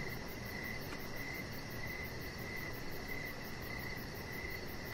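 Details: Evening crickets heard from an outdoor deck with a resting chihuahua puppy nearby: regular, evenly spaced chirps about every 0.7 seconds, backed by dense low-pitched background noise.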